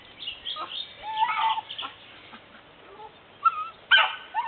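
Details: A 2011 litter of Pyrenean Mountain Dog puppies (Patou) at a kennel, squeaky whimpers and whines of mixed pitch, some bent downward, in quick irregular bursts from several pups.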